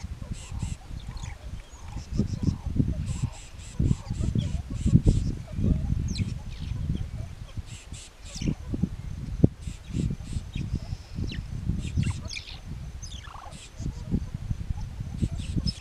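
Banded mongooses call in short, harsh, chattering bursts in response to a snake.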